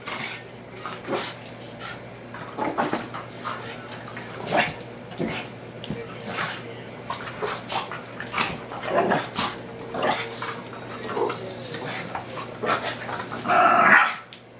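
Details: Pair of five-month-old mixed-breed dogs, one pug and pitbull-ridgeback, the other a pug-beagle male, boxing in play at home; rough growls, snorts and short yelps come in quick clusters, ending in a louder whine, over a low electrical hum.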